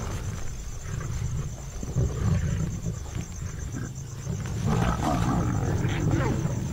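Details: Asiatic lions of a pride in India's Gir Forest growl in deep, rumbling bursts while feeding together at a spotted deer kill, mothers making space for their own cubs.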